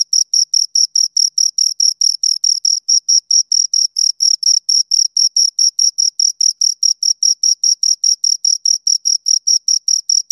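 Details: Two crickets chirping close to the microphone: a steady, shrill, high-pitched train of short pulses, about four to five per second, evenly spaced and uninterrupted for the whole stretch, with no other sounds.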